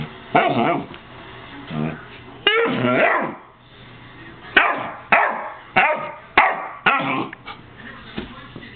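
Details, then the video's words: Buddy the pet dog giving a drawn-out howling, wavering cry near the start, then a series of loud, abrupt barks spaced about half a second apart, with faint background hum. "Buddy barks/howls"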